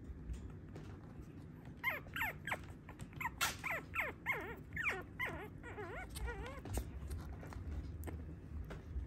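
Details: Teacup Toy Poodle, a tiny male puppy; a run of high, wavering whines that bend up and down, about one each half second through the middle, with soft low background hum.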